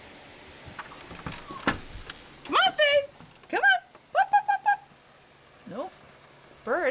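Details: Two seven-week-old puppies from Darla's litter playing outdoors in the snow after scratching at the door to go out; short, high, rising yelps and whines come in quick bursts, separated by quiet patter.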